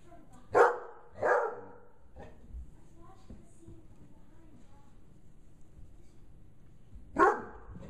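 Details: A 5-month-old female Bloodhound, scared by a gorilla puppet, gives deep, loud barks: two close together, then a single bark after a pause.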